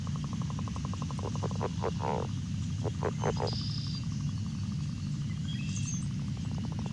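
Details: A northern leopard frog calling from a temporary water area gives a long, rattling snore broken by a few louder, throaty grunting clucks, a call often drowned out by chorus frogs.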